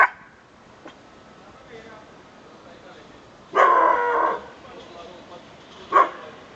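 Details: Pet domestic dog giving a small bark indoors, which its owner calls a little bitty bark: a sharp opening yelp, a louder rough bark of about a second near the middle, then one short yap at the end, with quiet background between.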